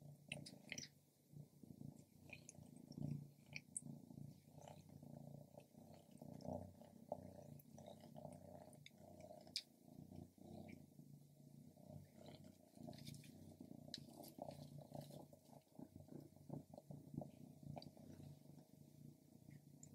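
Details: Pet cat purring while eating grilled lamb, a steady low rumbling purr throughout with soft chewing and small clicks, recorded close up indoors.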